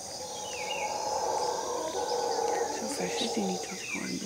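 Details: Howler monkeys roar in a deep, droning chorus at 5 am at Finca Maresia, Drake Bay, with a few bird whistles above.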